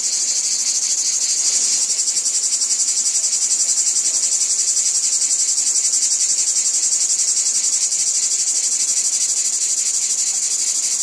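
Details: In a wheat field, a chorus of cicadas produces a steady shrill hiss with quick rhythmic throbbing, no pauses, many callers blending into one wall of sound.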